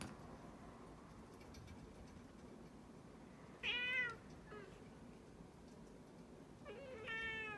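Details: Indoor cat grumbling as its claws are clipped: a loud, strained meow, a faint short mew, then a steadier, longer meow near the end over a low room hum.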